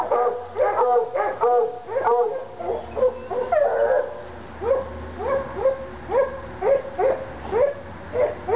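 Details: Treeing Walker Coonhounds Lady and Cooper in North Carolina, excited by a coon skin; clipped, ringing barks repeat about once per second in uneven runs, with a low hum beneath.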